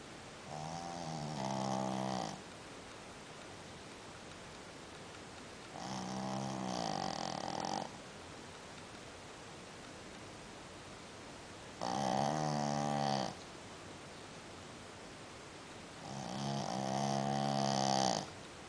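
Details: Dog sleeping and snoring like a human: four drawn-out rasping snores, each around two seconds long, spaced roughly four to five seconds apart, with a buzzy harmonic tone and quiet pauses between breaths.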